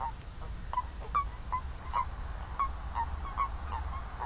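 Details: Several toads giving brief, clipped honking notes at mid pitch, roughly two or three per second in an uneven rhythm, set against a constant low-frequency hum.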